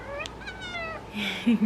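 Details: Talkative female orange domestic cat meowing at golden hour: a drawn-out harmonic meow that slides gently downward, then a short low vocal sound near the end against a quiet indoor background.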